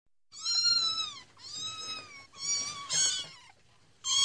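Kittens give a string of high-pitched, clear meows, each lasting most of a second and sliding gently down at the end. The calls come close together, with a fresh one starting right at the close.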